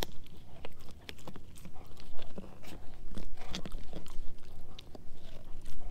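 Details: Dehydrated pig ear chew being eaten by Edu, a German Shepherd mix; rapid irregular crunching and biting, bursts of loud cracks between softer gnawing.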